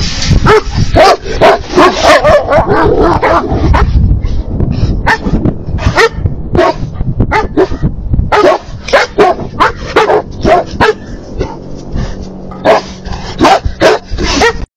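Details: Three livestock guardian dogs bark hard as two coyotes pass the fenceline near their herd: rapid, continuous barking, sometimes several barks per second, voices overlapping, with a noisy, rumbling background throughout.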